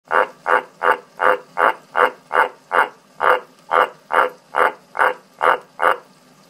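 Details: Jens, a pet frog, calls with his inflated orange vocal sac: a steady, evenly spaced series of rasping croaks, a little over two per second, about sixteen in a row.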